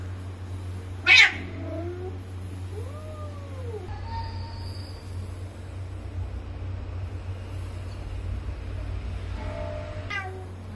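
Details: Bengal cats, male and female, meeting for mating after the female arrived that evening: one harsh spit, a couple of short curved meows, then a quiet stretch with faint tones and a final brief yowl over low hum.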